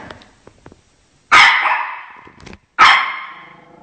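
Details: A Shih Tzu called Chocolate defends its home from dogs on TV, letting out two loud, clean barks about one and a half seconds apart, each fading slowly, after faint television chatter.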